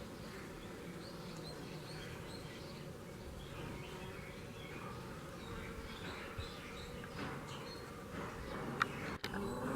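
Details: Working honey bees recorded in Kashmir with natural sound: a continuous low droning buzz, even and unbroken, with faint bird chirps in the distance and a sharp click near the end.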